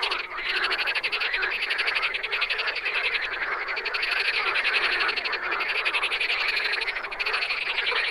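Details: A steady wall of wild frog croaks, many callers overlapping in a continuous rattling chorus with brief dips and small bursts of sharper clicking notes.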